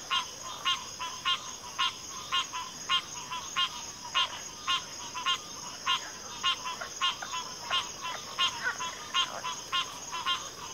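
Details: Frog chorus with crisp pulsed rattles repeated regularly, nearly twice a second, several callers overlapping, backed by a continuous high insect hum.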